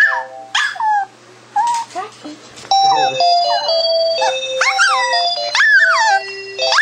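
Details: A Boston Terrier howls in wavering, sliding tones along with the steady electronic ring of a telephone, as it does every time the phone rings.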